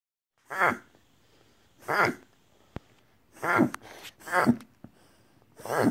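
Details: Jasper, a pet Whippet, reverse sneezing indoors, a condition a veterinarian confirmed: five loud, harsh snorting inhalations spaced roughly a second apart, each a broad rasping burst, with a single sharp click in between.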